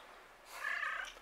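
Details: Cat answering with one short, nasal meow, level and slightly trembling, rising in loudness then fading, heard in otherwise quiet surroundings.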